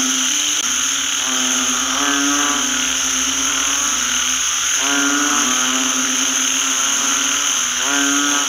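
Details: Banded bullfrogs calling in a rice field after rain. Many overlapping nasal, harmonic croaks swell and fade every second or two over a steady background of high, constant ringing tones.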